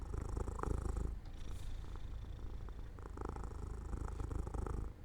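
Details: Domestic cat falling asleep by an open window in the sunlight, purring steadily: a low, pulsing rumble that shifts between a louder, breathier phase and a softer phase roughly every two seconds, in a quiet room.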